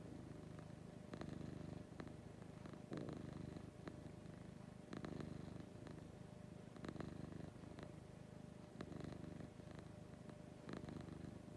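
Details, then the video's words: Morning purring from Lucy, a domestic cat: steady low rumble swelling in rhythmic breaths roughly every two seconds, each inhale marked by a soft brighter rasp. "Lucy Purring in the Morning."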